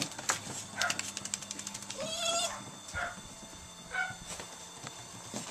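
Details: Several Italian Greyhounds play in a backyard, giving sharp, high yipping barks with one longer, wavering whine-like note among them.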